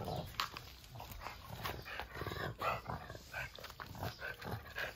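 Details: French Bulldog outdoors, worked up and urging the others, who lie warming on the steps, to go to work; rapid short whiny yelps and grunting bursts, several per second, over steady background hiss and a man talking.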